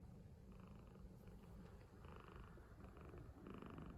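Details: A cat snoring while asleep on a person's bed: a soft, low, continuous rumble with faint breathy pulses, plus brief higher tonal streaks coming and going in the background of a quiet room.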